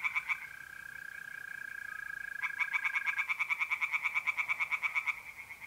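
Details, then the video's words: Tree frogs in a north-east Italian pond call by night in mid-April. A long, steady mole cricket trill comes first. Then a frog breaks in with a fast run of harsh, pulsed croaks, roughly seven a second, for almost three seconds. "relaxing singing tree frogs in pond"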